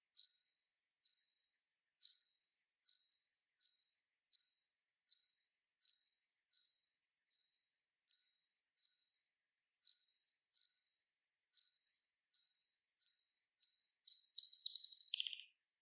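Soprano pipistrelle echolocation: short, sharp downward-sweeping clicks, slowed to be audible, ending in a rapid buzz.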